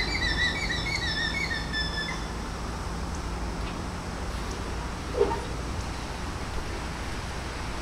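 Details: Annabel the alpaca sounds a shrill, wavering, whistle-like warning call over a low rumble, frightening the herd; the alarm was raised while baby raccoons were nearby.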